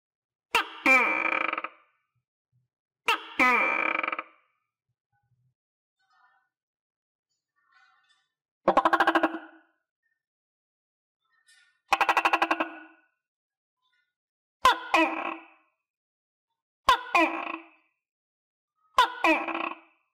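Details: Captive tokay gecko, recently able to feed itself on crickets and kept with other tokays, repeats loud harsh two-note calls every two to three seconds, broken by brief buzzing rattles midway.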